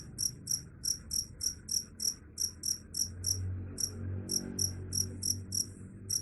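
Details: Chirping cricket, claimed to repel rats: sharp, very high pulses repeated roughly three times a second with slightly uneven spacing, steady low rumble underneath.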